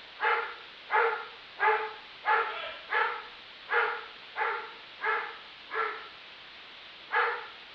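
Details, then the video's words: Neighbor's dog, said to bark 63 times a minute, gives ten loud, clipped barks at a fairly even pace of about one every 0.7 seconds, then a short gap before a final bark; no other clear sounds. "My neighbor's dog barks 63 times in a single minute"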